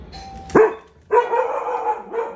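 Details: A pet Cocker Spaniel barking at the doorbell after waking from sleep: a sharp loud bark, then a longer drawn-out howling bark and a final shorter bark, indoors.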